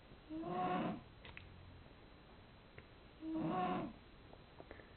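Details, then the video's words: Sleeping domestic cat snoring: two breathy, rasping snores, each about half a second long with a faint whistled tone inside, three seconds apart against a quiet room. "My Cat Darcy Snoring"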